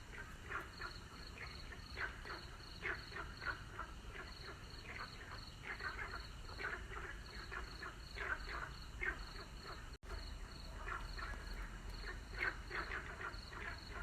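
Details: A chorus of frogs croaks in overlapping bursts at sunset, with a high insect trill and a low rumble beneath.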